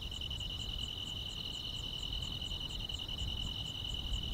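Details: Grass insects of a calm rural summer night keep up an even, ringing trill while a separate higher chirp repeats in short beats, roughly three each second, against a muffled low background hiss and rumble.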